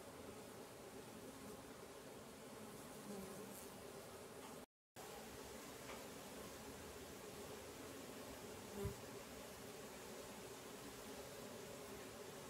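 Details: Several stingless bee colonies in a meliponary give a steady, low, even hum as many bees fly close together around their hives.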